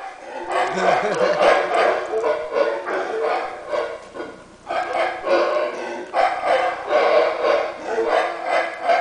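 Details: Howler monkeys on a cave property in Belize bark at intruders: deep, gravelly roaring barks in surging bursts, with a person calling out nearby.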